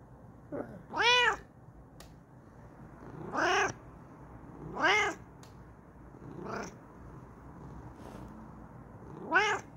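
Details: ['Kokoa, a female Bengal cat, excitedly yelling in her new chair: a short soft chirp followed by five strong, ringing meows at irregular intervals, some harsher and reaching high, against a quiet indoor background.']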